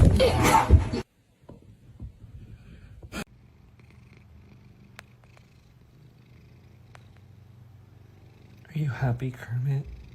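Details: Domestic cat in a funny cat compilation, giving a low, steady, continuous purr for several seconds indoors, bracketed by brief bursts of human voice at the start and end.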